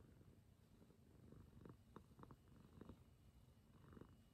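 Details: Former stray domestic cat, rescued and now a clingy, affectionate house cat with its mama, purring indoors in low rumbling pulses with a few brief brighter bursts in between.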